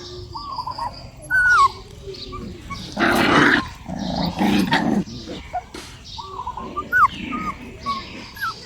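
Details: A dog barks in two loud, harsh bursts about a second apart, with bright whistled bird calls and chirps heard before and after.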